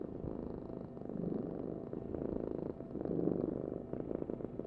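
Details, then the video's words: Domestic cat purring steadily: a low, continuous rumbling vibration with a fast, even pulse, swelling slightly louder and softer over a few seconds, with no other sounds. "Heal with the ultimate cat purring vibration"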